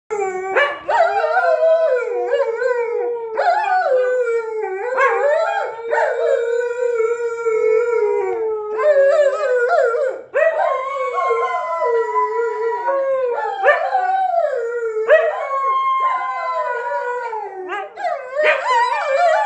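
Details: Pet Siberian Husky and German Shepherd in a howling contest over who is loudest: long, wavering, overlapping howls, sliding up and down in pitch, nearly continuous throughout with brief breaks and rising swoops.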